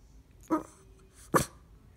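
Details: A female Boston Terrier gives two short, throaty grunts about a second apart when she doesn't get what she wants.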